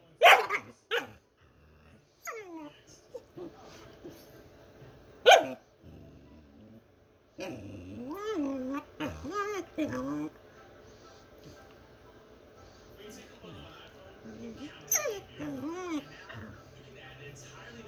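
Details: A pet dog making funny noises: two or three sharp barks at first, then warbling, wavering whines and yodel-like moans rising and falling, with a quiet background hum.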